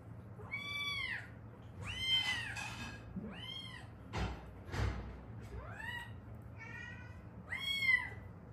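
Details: Repeated plaintive meows, roughly seven, from a rescued South Korean street cat, one of a mother-daughter pair from Haeundae, one injured in a traffic accident; cries rise then fall, interrupted by short rustling bursts.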